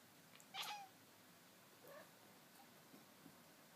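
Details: Mister Moo, a black-and-white cow cat, gives one brief bright chirping chatter note followed by a couple of faint softer chirps in a quiet indoor setting.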